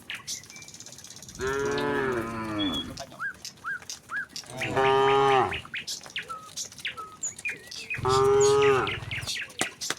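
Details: Tame cows and cattle moving leisurely from a nearby village to the pen: three drawn-out, resonant moos spaced a few seconds apart, each rising slightly then falling, over scattered bird chirps.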